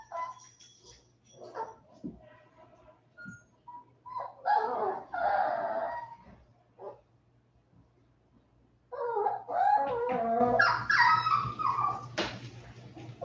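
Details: Westie puppies aged 47 days, just back indoors from an outdoor break. Scattered taps give way to a burst of harmonic whining around 4 to 6 seconds, then louder overlapping yelps and whines from about 9 seconds on.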